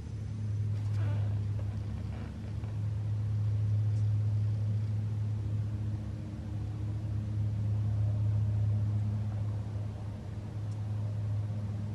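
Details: Steady low engine rumble of a car interior throughout, with a few faint knocks and no animal voice.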